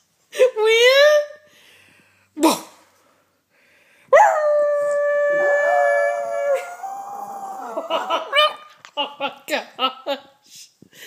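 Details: Pet Yorkshire Terrier howling in reply to its owner's howl: a short rising howl, then a long wavering drawn-out howl held for about four seconds, followed by broken yips and whines, with a person's voice in between.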